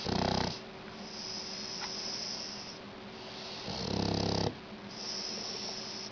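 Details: Snoring Shar Pei, two loud raspy snores with a buzzing, rattling inhale, each about half a second to a second long and roughly three seconds apart, separated by soft hissing exhales over a constant low hum.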